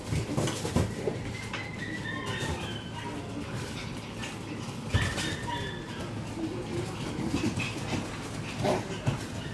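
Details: Shiba Inu puppies roughhousing right after arriving at daycare; brief high squeaky yips and whines come in scattered bursts amid clattering, thumps and steady background noise.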